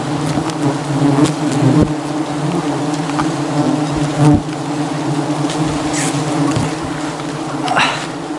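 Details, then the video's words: Angry wild honey bee swarm attacking during a dangerous jungle honey harvest; loud, constant droning buzz with strong low hum bands, punctuated by occasional sharp clicks and brief whooshing sweeps. "Dangerous Struggle Against an Aggressive Bee Swarm"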